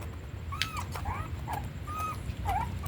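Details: Puppy said to be growing very slowly on milk powder, giving about five short tonal whimpers over three seconds, some rising and some falling in pitch, a few with a downward bend, against a steady low rumbling background.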